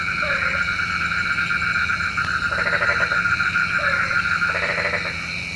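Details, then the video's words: Frogs calling at night, said to call rain, in bursts of pulsed croaks around mid pitch, with short low squawks between, over a steady high insect-like hum and background noise. "SUARA KODOK KATAK | Panggil Hujan"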